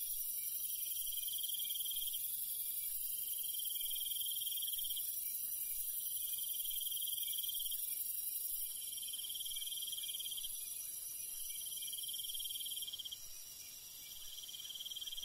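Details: Countryside crickets at night, a steady shrill chorus with repeated pulsed trills every couple of seconds, the background hiss shifting and softening near the end.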